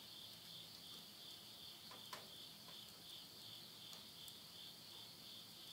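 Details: Insects at midnight at the end of summer, September 2020, in the countryside of Yurihama, Tottori, Japan. A steady, shrill, high trilling chorus pulses about three times a second, with soft crackles of wood burning in a stove.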